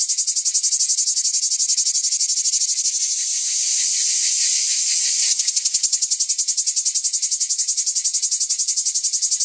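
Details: Cicada, called chicharra or cigarra and chikilichi in Náhuatl, a singing male heard mostly in the hottest season and believed to predict rain; a dense, harsh buzzing pulsed rapidly and evenly throughout, with a brief smoother stretch midway.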